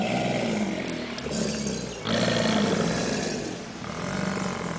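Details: American alligators, subadults in a group at the St. Augustine Alligator Farm Zoological Park, bellowing in chorus: heavy, pulsating, guttural roars rising and falling in long overlapping waves, nearly unbroken throughout.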